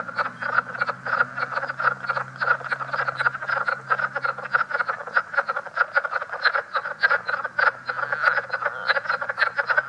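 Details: Leopard frogs calling at Great Swamp National Wildlife Refuge, said to be a newly discovered leopard frog form from NY and NJ with a different call: fast, dense trains of rough clicking pulses, many per second, over a faint low steady hum.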